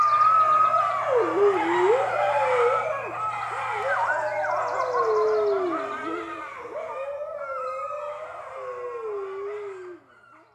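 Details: Red wolf pups, six weeks old, howling together at the Wolf Conservation Center: a loud tangle of wavering, quavering voices rising and falling, gradually thinning to a single sliding howl that fades out.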